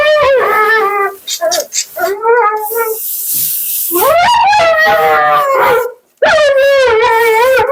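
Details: Mila, a dramatic Siberian Husky at the groomer, talks back in bursts: short whining yelps, a pause with hissing spray noise, then long quavering, vibrato-laden howls that swoop upward and hold before cutting off.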